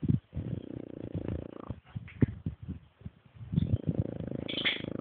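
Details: French Bulldog snoring while asleep, sounding like a man: low, rattling, buzzy breaths in long rough bursts with a short gap, then another drawn-out snore.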